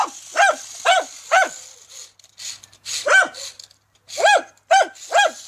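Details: A dachshund barks in sharp, evenly spaced bursts, about two every second, at a remote-controlled toy tarantula.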